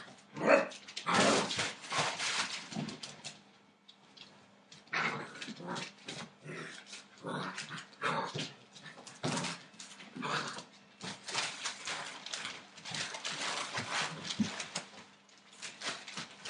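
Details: Eight-week-old Entlebucher Mountain Dog puppies from a litter born 28 December 2013, making rough growls, high yips and short barks in irregular bursts a second or two apart, separated by brief quiet gaps and scuffling noises.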